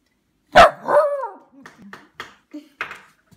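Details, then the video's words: Scottish Terrier asking for dinner: one sharp loud bark, then a drawn-out wavering whine-howl with bending harmonics, trailing into a few short, soft grunting yips, while a person asks what it wants. "Scottish terrier asking for dinner"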